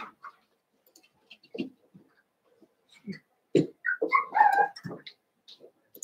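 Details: Playing indoors, eight Cavalier King Charles Spaniel puppies from Daisy's and Robin's litters give soft scattered yips, then a brief run of higher whining, squealing calls in the middle before quieter single yelps.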